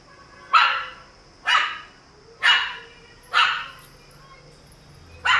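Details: Shih Tzu puppies in Kakinada, East Godavari: sharp single barks repeated about once a second, five in a row, over a faint steady background hum.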